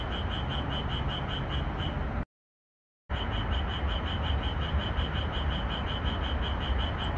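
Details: Night chorus of Japanese tree frogs in a moonlit red pepper field, edited to increase the calling; quick regular high-pitched croaks, roughly four each second, atop a constant low hiss, broken by a short silence.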